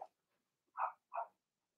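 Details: In a home puppy pen, a Cavalier King Charles Spaniel puppy, one of six Blenheim littermates, lets out three short, clipped little barks about a third of a second apart, separated by quiet gaps.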